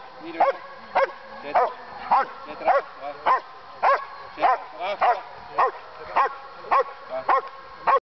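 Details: German Shepherd police dog, also called Alsatian, barking in a training session in Boxmeer, the Netherlands: about fourteen harsh, punchy barks in quick, regular succession, some paired closely, ending abruptly.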